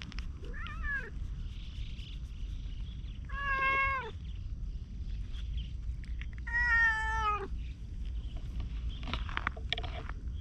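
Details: Free-roaming ginger tabby cat talking while trailing a departing person after being petted; three clear meows spaced a few seconds apart, the last longest and bending downward, with steady low background hum outside.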